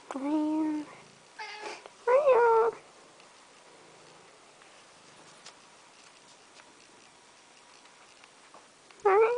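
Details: Domestic cat wanting to be let into the house, almost opening the door: loud, drawn-out meows with rich harmonics, two near the start and another at the end, separated by quiet stretches, with a brief human voice.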